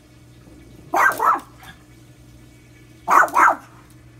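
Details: A pet dog barking at the washing machine, a daily habit: two short double-barks about two seconds apart, each a quick pair of harsh, broad woofs over a steady low machine hum.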